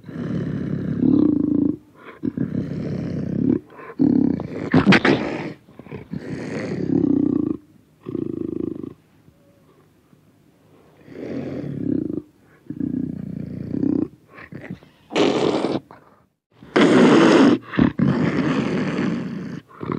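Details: Panther heard at close range, with repeated gravelly growls and short roaring bursts in uneven rhythm, a quieter stretch midway, then several loud, raspy roars.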